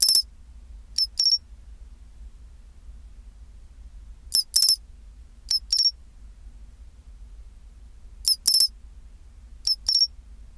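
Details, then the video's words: At 24°C, a pine cricket repeats its tinkling chin-chiro-rin: high metallic clicks in pairs and triplets, the final note slightly longer and ringing, recurring every one to two seconds against a soft low rumble. "チンチロリン Sound of pine cricket"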